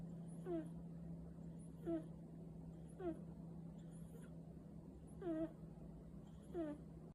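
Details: A cat snoring, giving a brief whistled nasal tone that falls in pitch with each breath, repeated roughly every one to one and a half seconds, with a constant low hum underneath.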